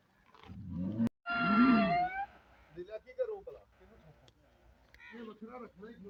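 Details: A Sahiwal-Jersey cross cow gives one loud, short moo of about a second that swells and then falls away. People talk nearby both before and after the call.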